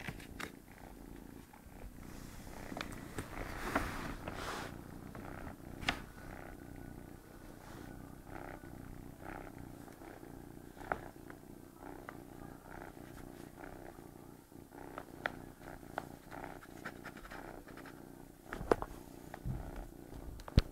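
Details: Sleeping cat Tigger being bothered by a kitten: continuous deep, pulsing purr held for the whole stretch, overlaid by brief taps, scuffs and rustling from movement nearby.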